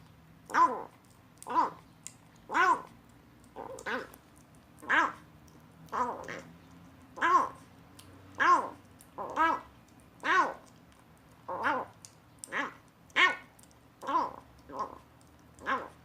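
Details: Rescued kitten, found abandoned in a box, eating weaning food for the first time and making odd sounds. Short arched, harmonic mews come about once a second, sixteen in a row, with a quiet indoor background.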